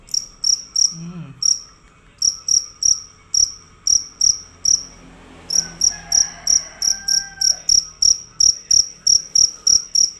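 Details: Cricket, described as fierce and loud, calling without a break: high chirps about three per second, pausing twice for a second or more, with faint background sounds in the gaps.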